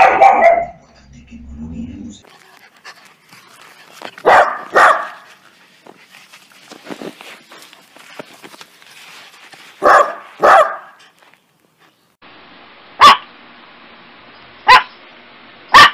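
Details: Dog from a funny compilation of barking dogs and puppies gives paired loud barks twice over a hissy background with faint talking, followed by three short, sharp barks spaced about two seconds apart.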